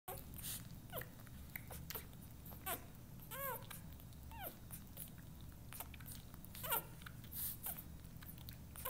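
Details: Newborn Vizsla puppies whimpering while feeding indoors: short thin squeaks and arched whines scattered through steady low suckling and rustling, with a small cluster of rising-falling squeals in the middle.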